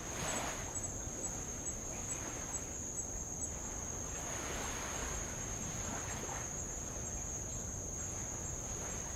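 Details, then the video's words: Tongan insects by the lava shore of Avalau, recorded while rowing around the island: a continuous piercing high whine never pauses, while soft wave washes swell and fade beneath it every few seconds. "sound of light Waves on old lava and Insects"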